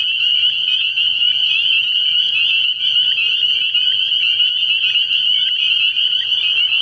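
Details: Early spring night at a frog pond with a thick spring peeper chorus: high, bright peeps stacked densely into a continuous shrill wall of sound, a few individual notes briefly standing out.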